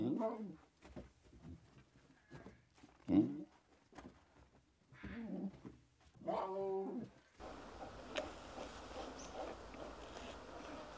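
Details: Playful lion cubs in the wild, frolicking and bonding together: scattered low grunts and squeaky mews at irregular intervals, including one clear, rising, harmonic-rich mewing call near the end, followed by steady broadband background noise.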